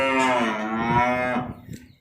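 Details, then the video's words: Crossbred calves delivered in Nong Bua Lamphu province, Thailand: a single loud harmonic moo of about one and a half seconds, slightly falling at the end, then fading into quiet. "ส่งมอบลูกวัวจังหวัดหนองบัวลำภู 17 ตัว"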